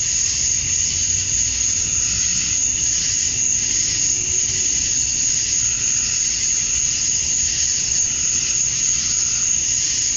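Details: Summer dusk in Georgia, USA, filled with male cicadas calling to draw in females. A continuous piercing whine holds level throughout, with faint waves of lower buzzing swelling and fading behind it.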